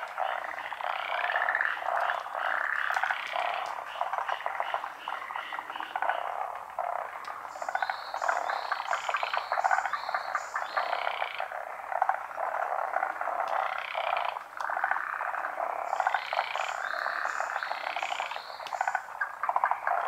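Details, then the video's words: Large chorus of frogs calling from an unseen pond in Japan, dense overlapping croaks and pulsed rattles filling the air continuously, with bursts of higher stepped trilling notes joining in twice. "カエルの大合唱／Large chorus of frogs"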